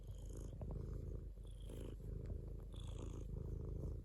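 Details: Domestic cat giving a loud, throaty purr in rhythmic breath-linked surges, with a faint high whistle-like tone appearing in short bursts.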